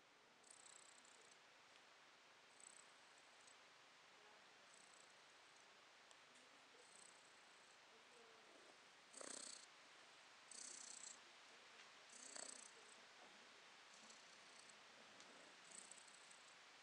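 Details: Domestic cat purring, recorded in December 2022; soft, steady hiss-like purr rising and falling in breathy cycles roughly every one to two seconds, with a few louder bursts midway and no other sounds.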